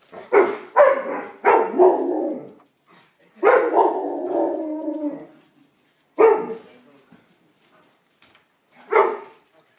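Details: Two Alaskan Malamutes at mealtime. Several drawn-out, moaning howl-like calls that slide downward, one lasting about two seconds, are followed by two short, sharp barks spaced well apart.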